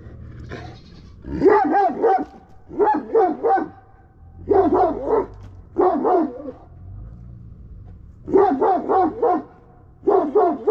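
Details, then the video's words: Aggressive Kangal dog barking in rapid bursts of two to four deep, harsh barks, separated by short pauses, with a faint low hum underneath. "aggressive kangal dog"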